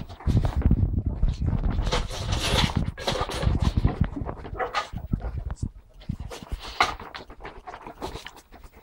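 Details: Several pet ferrets in a family group playing, recorded on a mobile phone; dense soft huffing and clucking pulses tumble along at roughly three per second, mixed with scuffling and thumps of the animals moving about.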